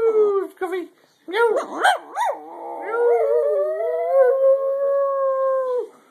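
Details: Pet dog singing: quick yipping, wavering notes at first, then settling into one long steady howl held about three seconds before fading.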